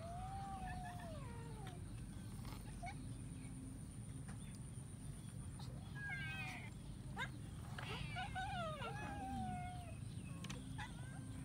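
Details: While eating rice, a kitten lets out repeated meows: a drawn-out wavering cry early on, then a run of short bent meows in the middle and later, over constant low background hum and scattered clicks.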